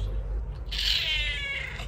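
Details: Affectionate, clingy pet cat; a single drawn-out, fairly high meow begins after a short pause and fades out slowly, over a steady low hum.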